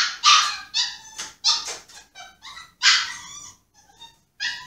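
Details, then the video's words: Pomsky Yoshi throwing a tantrum in his cage, wanting out: rapid harsh yelps and whines, several per second, loud and close as in a small room, with short quieter whimpers between. "Sad Pomsky whining"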